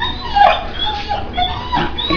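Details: Four-month-old pit bull puppy at play, giving thin, high whimpers and short whines that slide downward, several brief tonal cries in quick succession over low background hum.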